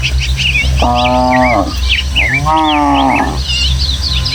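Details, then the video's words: Tame village cattle from a herd of dozens, running excitedly over hills and footpaths toward their pen in the Indonesian countryside. Two drawn-out, harmonic moos, each under a second, are separated by a pause. Small birds chirp continuously overhead with a steady breeze. "Suara Sapi"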